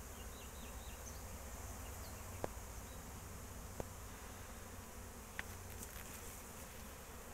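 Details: Apiary honey bees humming in 2023 amid a period of rain, a continuous low drone broken by three sharp clicks and a few faint high chirps from a bird in the background.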